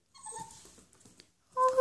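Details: A 3-month-old Italian greyhound puppy gives thin, high whimpering cries, ending in a louder, sustained whine, after hearing a dog barking outside.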